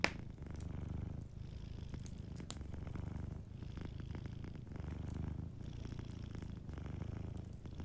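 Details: Soft purring from a sleeping pet cat beside a warm fireplace, a deep continuous rumble pulsing with each breath in and out, overlaid by scattered crackling snaps from the burning fire.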